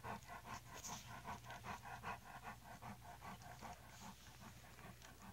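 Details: Eleven-day-old English Mastiff pups from an AKC-registered champion line, just starting to walk: rhythmic, breathy panting bursts about two and a half per second, steady and even, over a constant low electrical hum.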